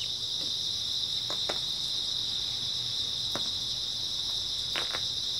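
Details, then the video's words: An unbroken shrill trilling of grass insects on an early autumn night, steady in pitch and loudness, with a few brief clicks and taps in the background. "초가을 밤부터 새벽까지 백색소음 풀벌레 소리"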